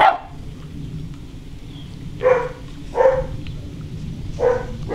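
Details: German Shorthaired Pointer puppies at six weeks old giving a few short yapping barks, four bursts spaced about a second apart over a low background rumble, indoors.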